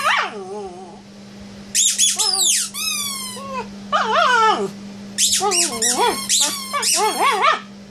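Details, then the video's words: Small Bichon Frise cross dog indoors, vocal while arguing over a toy zebra: a run of high, yodelling whines and yips that swoop up and down in pitch, in excited bursts, over a steady low background hum. "the talking dog"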